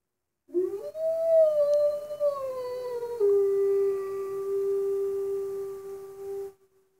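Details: A wolf at Northwest Trek in 2019 howls in response to two other wolves, heard through a cabin window: one long, clear, tonal howl lasting about six seconds, starting higher, then sliding down and holding a steady lower pitch.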